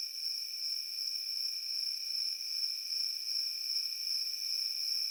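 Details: Crickets in a field: a steady, unbroken high-pitched trilling drone with a fainter lower tone beneath it, holding an even level throughout, with no other sounds.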